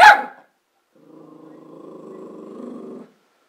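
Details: A Border Terrier gives one sharp bark, then a low, steady growl rumbles on for about two seconds.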